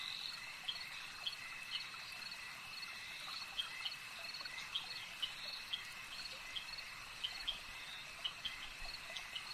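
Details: Lakeside frog chorus: a constant high-pitched trill forms a dense backdrop while short, crisp clicking notes repeat irregularly, roughly twice a second, over a soft natural hiss.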